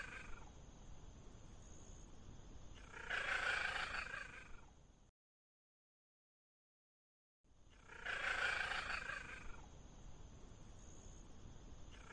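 A Bengal cat lets out a strong, rough meow lasting over a second, rising then fading. After a short silence the same meow comes again, over a steady background hiss.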